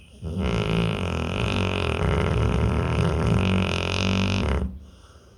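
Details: Pit bull in deep sleep, giving one long, deep, buzzing droning snore that holds steady for over four seconds before stopping abruptly, with a quiet indoor background.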